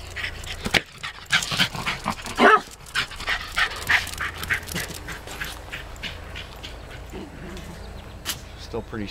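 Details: Twelve-year-old female Wire Fox Terrier protesting as party guests leave: bursts of sharp barks and yelps, loudest near two and a half seconds, then quieter barking under people talking and background chatter.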